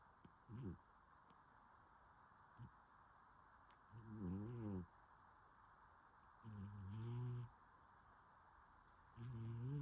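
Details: A sleeping cat snores in soft, low, rasping breaths that come roughly every two to three seconds. Each breath lasts under a second and has a slight wavering pitch. The room is otherwise quiet.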